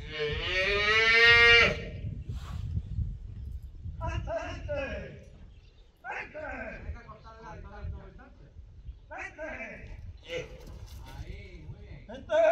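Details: Young female calf being worked in bullfighting training at a private bullfighting school; one loud, rich moo opens, followed by shorter, softer calls and people talking in the background.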